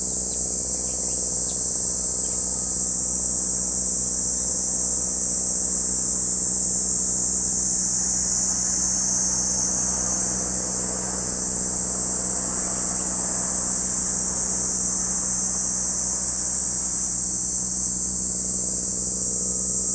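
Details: Lake Kamo cicadas in Sado City, Niigata Prefecture, Japan, keep up a constant piercing drone. A low mechanical hum and a few brief chirps near the start sit faintly in the background.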